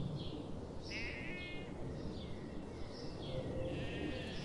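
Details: Morning in the forest with sheep grazing; a clear vibrating bleat rises early, followed by fainter distant bleats over a steady low murmur.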